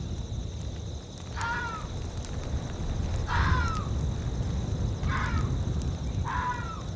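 A fox gives four short, hoarse barks that drop in pitch, spaced irregularly about two seconds apart, over a steady low rumble of wind.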